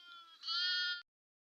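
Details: Single sheep from a flock taken into the forest for grazing in Telangana, India, uttering one steady, nasal bleat lasting about half a second after a softer lead-in, then silence.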